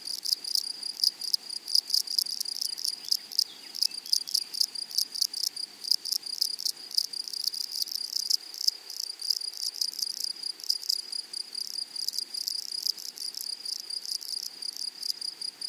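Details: A flowery meadow chorus of grasshoppers: a continuous high, sizzling drone broken into dense pulsed bursts that keep a quick, uneven rhythm throughout.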